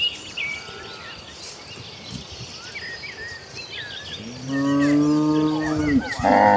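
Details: Village cattle, tame and moving as a herd toward green rice fields for fresh grass. A low, steady moo swells near the end and rises into a louder bellow, with scattered bird chirps and insect buzz underneath.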